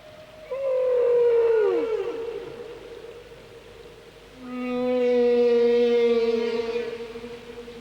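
Humpback whales sing in sustained tonal moans, the first sweeping down in pitch before fading. A second, steadier wail follows with a rich stack of overtones and a lower hum beneath it.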